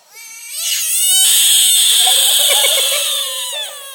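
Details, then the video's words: A frog caught from a pond screams like a cat, a sustained, piercing, harmonic-rich wail that swells quickly and stays loud throughout, with a slight waver and a dip in pitch at the close. "Frog Scream"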